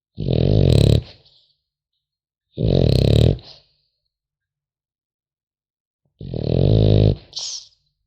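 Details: A sleeping French Bulldog puppy snores three times, deep, rasping and throaty, each about a second long with a brief squeaky whistle after the final one, silence between.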